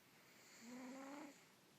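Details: A Russian Blue cat asleep gives one drawn-out snore lasting under a second, a low, steady, buzzy tone that tails off into room quiet.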